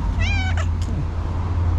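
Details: Loud meow from a female tuxedo cat running to her owner after spotting her: one short, strong harmonic meow followed by a brief softer sound, over a constant low hum.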